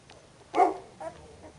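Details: Puppy in its second week at a kennel, one loud short whimpering yelp followed by a softer second cry, in a quiet indoor setting.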